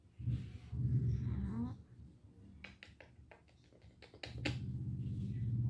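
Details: Mandy, a spayed female cat in heat for 19 days with ovarian remnant syndrome, gives a low, drawn-out moaning yowl that rises at its end. Sharp clicking taps follow, then the deep yowl starts again.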